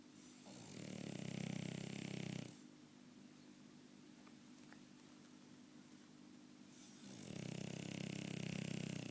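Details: French Bulldog snoring indoors: two long, rasping, rumbling snores with a low throaty core and hissy upper tone, each about two seconds, separated by a quiet pause of several seconds.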